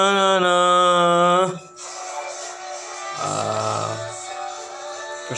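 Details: Music with a sustained tone followed by singing and instruments; no animal voice is heard.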